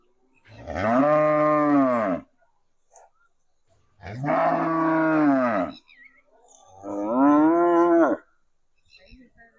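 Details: A cow that followed the people after hearing a played cow sound gives three long, deep, harmonic moos, each about one and a half seconds, spaced roughly every three seconds.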